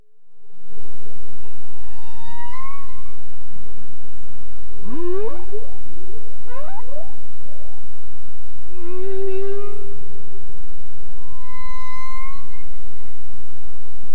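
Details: Humpback whale song recorded by a hydrophone 900 meters deep, about 30 kilometers offshore in Monterey Bay: a sequence of rising whoops, sweeping upward calls and short tonal moans with harmonics, separated by brief gaps over low ocean rumble.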